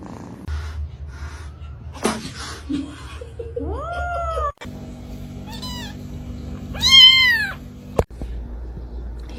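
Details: Kitten meowing amid household noise: short rising-falling meows near four seconds, then a loud, higher, wavering meow around seven seconds, with people talking and laughing, a background hum and brief clicks.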